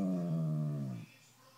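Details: Basset Hound named Gunner, upset because he didn't get to go on a trip, gives one low, steady, mournful howl with rich harmonics that lasts about a second and fades, then only faint room quiet remains.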